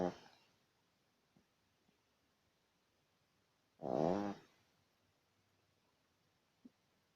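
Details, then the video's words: A sleeping badger gives a single harsh, vibrating snore of about half a second midway through, plus a few tiny clicks and snuffles in near silence. "Барсук храпит"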